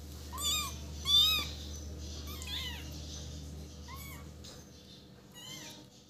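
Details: Sweet baby cat crying in a series of high, wavering mews, two louder ones close together, then a few quieter, shorter squeaks trailing off, over low steady hum.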